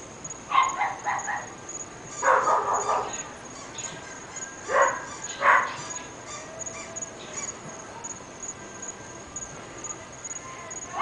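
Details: Three pet dogs in North Bay Village, barking heard from neighbouring homes: short bursts of sharp barks in clusters, with pauses between volleys, over a steady high-pitched whine.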